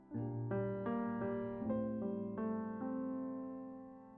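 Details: Electric piano notes struck one after another, each ringing on and fading slowly; no animal sound is heard.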